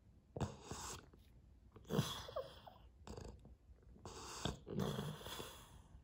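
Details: Pouting pet Boston Terrier named Sully, crying indoors for attention while his owner has coffee; four breathy, rasping outbursts with faint squeaky whimpers woven in, separated by short quiet gaps.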